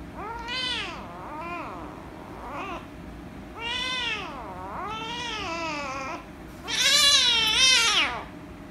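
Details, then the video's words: Angry rescue kitten meowing loudly as she is petted, a string of about six arched, harmonic meows, some short and some drawn out, the last a long, loud, strained wail. "The Rescue Kitten Angry And Meowing Loudly If I Pet Her - Cats Meowing"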